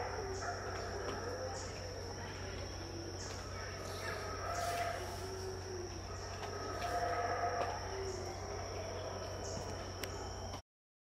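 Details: Deep, hoarse roaring of unseen howler monkeys at dawn, about 6am, at Tikal, Guatemala, in 2018, rising in waves mid-clip beneath a sustained shrill insect tone, ending abruptly.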